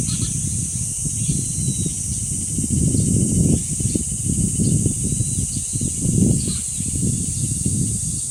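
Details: At the dangsan of Deoksan village, South Korea, cicadas keep up an unbroken high whine while wind swells and drops underneath; thin bird chirps sound now and then.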